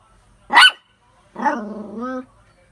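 A poodle gives one sharp, high bark, then a longer drawn-out tonal yowl that lifts at the end.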